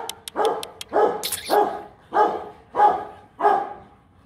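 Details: Kute Gervi, a Rottweiler aged 15 months from the champion sire Bruno tí hon and Cynia Gervi, lets out six deep, even barks about every 0.6 seconds, preceded by sharp clicking sounds and a brief hiss.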